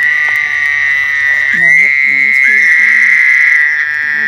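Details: Frog calling during mating: a steady, high, buzzy trill held through the whole stretch, with human speech passing low underneath in the middle.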